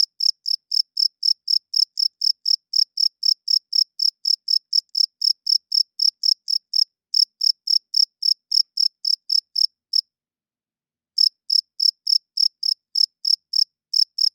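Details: Crickets chirping loudly at night, males rubbing their wings together to attract females and hold territory; high, clean pulsed chirps at about four per second, a short pause near the tenth second before the chirping resumes, no other sounds.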